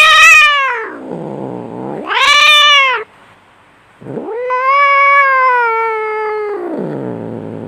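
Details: Fighting domestic cats: a shrill falling yowl, a growl, a second sharp yowl, a short silence, then a long sustained wail that sinks into a growl.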